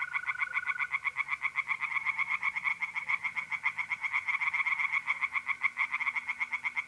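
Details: Pond tree frogs calling at night in mid-April, north-east Italy, in a fast, harsh rattle of croaks about four per second that pulses without pause, a mole cricket's smooth trill briefly audible at the start.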